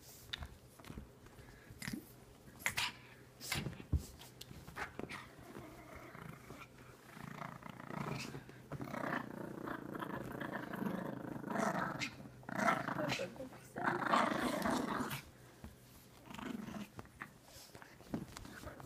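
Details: Pet pug growling and grumbling while playing with a sock, rough throaty rumbles swelling in bursts through the middle, with scattered clicks and handling noises.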